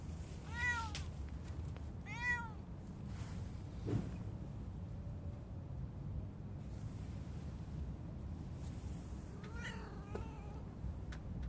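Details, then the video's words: Street cat in spring meowing, two clear falling meows close together, then a fainter, wavering one several seconds later, over low constant background rumble. "street cat"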